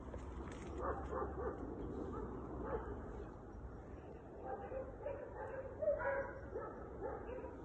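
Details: Gordo and Tom, two Segugio Italiano hounds working as a pair in hare training, give spaced, distant baying barks in short bursts against a constant low rumble of wind or ground noise.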